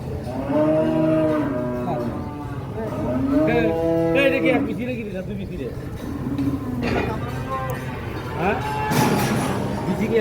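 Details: Cows being bought, with six young bulls among them: several deep, harmonic moos in the first half, each swelling and falling over about a second, then people talking, knocks and crowd noise.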